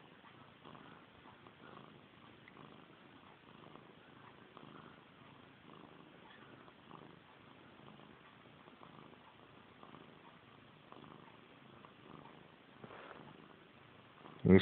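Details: Missy Grey, a pet domestic cat long obsessed with her own tail, purrs indoors at bedtime. The soft, steady rumbling pulses in a continuous rhythm and ends with a sharp, loud click.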